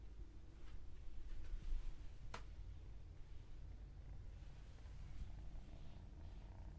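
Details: Low, even purr of a domestic cat, a soft continuous rumble with one brief sharp click partway through and little else in the background.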